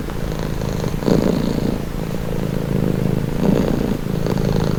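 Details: Domestic cat purring steadily, a low rumbling vibration that swells on each breath, with louder surges near one and three and a half seconds; calm, even throb and no other sounds.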